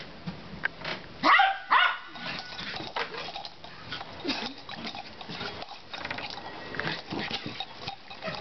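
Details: Pet dachshund snapping at an exercise ball indoors in a cluttered living room after days of being teased with it; two loud, sharp barks close together early on, then softer scuffling, thumps and faint grumbling noises.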